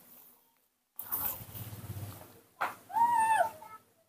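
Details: A baby monkey, well fed after a full bottle of milk, gives a clear, whistled coo that dips slightly, calling for its father when he is not nearby.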